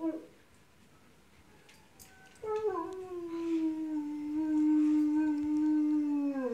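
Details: Dog indoors reacting to dogs barking on television; after a brief yelp and a quiet gap, a long, steady, tonal howl holds for about four seconds, swelling louder and gently wavering in pitch before breaking off.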